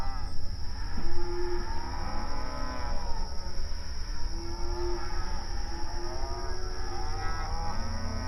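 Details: Cows moo mournfully in the night, long moaning calls with arching pitch, several overlapping, including a sustained lower moo near the middle. A continuous low rumble and a faint steady high-pitched tone run underneath.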